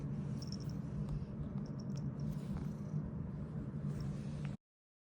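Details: A Ragdoll cat, apparently just waking up, gives a low, steady, rumbling purr with a few faint soft squeaks above it.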